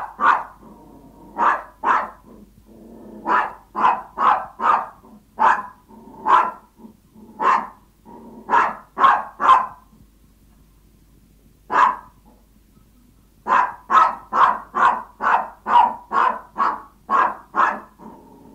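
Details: Hungry Yorkshire Toy Terrier begging its owner, barking in rapid bursts of high yaps roughly twice a second, a brief pause near the middle, then a long unbroken run of barks.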